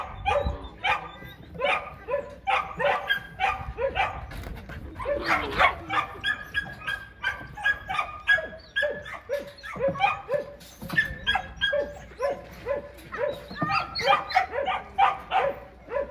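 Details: Border Collie eager to learn frisbee play, barking excitedly in rapid, harmonic yelps repeated several times per second through most of the clip, with a few short pauses.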